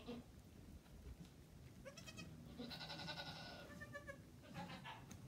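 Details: Goat on a farm with newborn kids; a strong, quavering, harmonic bleat of over a second, followed by shorter, fainter bleats, over steady low background rumble.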